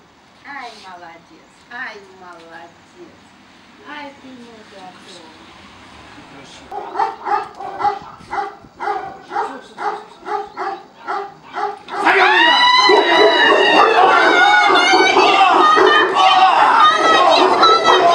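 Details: Tibetan Mastiffs at the Nasledie Tibeta kennel in Russia, never trained for protection, face unfamiliar strangers in a working test. Steady deep barks come about four per second, then swell into a dense, frantic barking chorus mixed with human voices.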